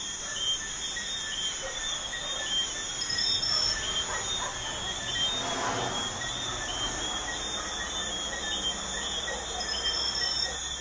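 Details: Crickets trill steadily at night beside a busy highway, over a broad wash of passing traffic.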